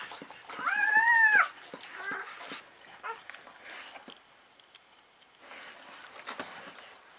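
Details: Newborn Czechoslovakian Wolfdog puppy, from a litter of five females born 21 November 2020 at a breeding kennel. A single high, wavering squeal rises and falls for about a second, followed by soft rustling, small squeaks and quiet human voices.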